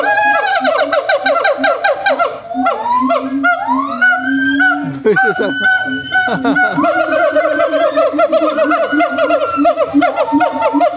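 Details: A dense, frightening din of monkeys calling to each other: rapid wavering cries and long swooping rising notes pile over one another, many voices running nonstop without pause.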